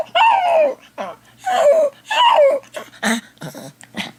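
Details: Domestic dog left at home while its owner is out, howling indoors: three loud, falling, wavering howls, each under a second, separated by short pauses, followed by softer snuffling and whimpering sounds in a small room.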